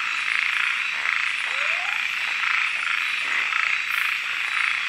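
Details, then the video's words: A nighttime frog chorus in Kubah National Park: a continuous buzzing wall of high, fast-pulsed calls with a brief rising chirp cutting through partway. "Kubah national park frogs and more nightlife"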